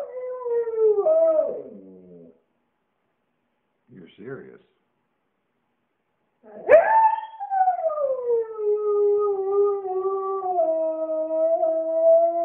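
A Siberian Husky sings in long, wavering howls that slide up and then sink slowly.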